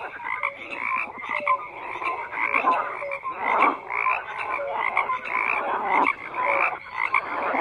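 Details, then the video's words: Frogs croak in a crowded chorus, harsh pulsed calls swelling every second or so, mixed with clipped tonal notes and higher clicking chirps over a constant hum of voices. "FROGS CROAKING"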